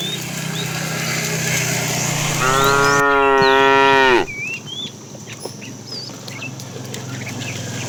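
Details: A fat, tame cow calling the female while a herd is driven in the afternoon: one long, loud, harmonic moo that rises then holds steady for about two seconds, with small birds chirping in the background.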